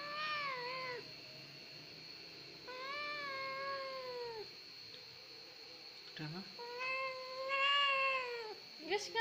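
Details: Domestic cat described as easily crying, a crybaby cat, giving a run of long, drawn-out wailing meows, each sliding slightly downward. Short gaps separate the meows, and a steady high-pitched whine runs underneath throughout.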